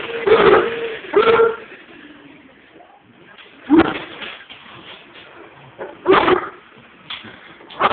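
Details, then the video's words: Mastiff and Pug mix dogs named Onyx and Pearl attacking a vacuum cleaner; four loud, harsh barks with a tonal growly edge come in separate bursts, with quiet gaps between them and no other clear sounds. "Mastiff and pug mix attacking vaccum"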